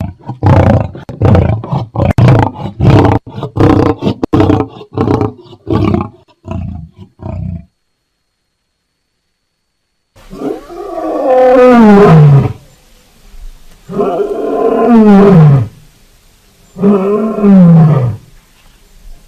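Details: Lion giving a rapid series of short, deep grunting pulses for about seven seconds, then after a brief silence three long, drawn-out roars that slide downward in pitch, each lasting a couple of seconds.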